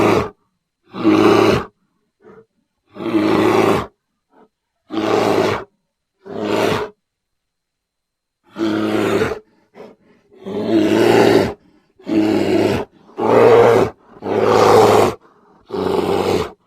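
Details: Bear growling in deep, rough, harmonic bursts of about a second each, about ten of them with irregular silent gaps between, several coming in quick succession near the end.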